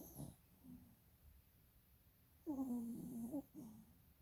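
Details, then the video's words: Dog asleep with rolling eyes gives one long, steady, whistling snore lasting about a second, low and tonal with clear overtones. A softer rasping breath follows, with fainter breaths earlier. "Snoring dog with eyes rolling"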